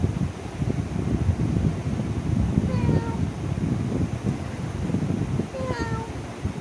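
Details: White cat meowing: two short, clear descending meows about three seconds apart, over a loud steady rumbling background noise.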